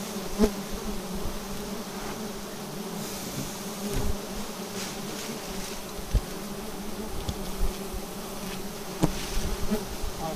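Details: Bee nest perched on an upright tree being harvested for honey; the swarm keeps up an even, low, humming drone with a fainter overtone, interrupted by occasional knocks and brief rustling.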